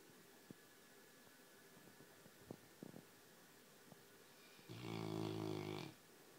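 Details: Pet Labrador Retriever snoring softly: faint clicks and small breathing noises, then one longer rumbling, harmonic snore near the end.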